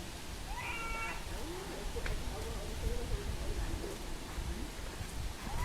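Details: Young pig-tailed macaque crying loudly after losing its mother: thin, wavering, harmonic wails rising and falling in a chain of short cries over a heavy low rumble of background noise.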